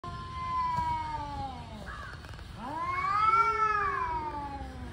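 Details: Angry male cats warming up for a fight caterwaul: a long harmonic yowl slowly falls and fades, then a second wail swoops upward, holds and bends down again in a drawn-out moan.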